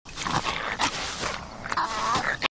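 A wolverine gives a harsh, raspy growl with snarling bursts lasting about two seconds.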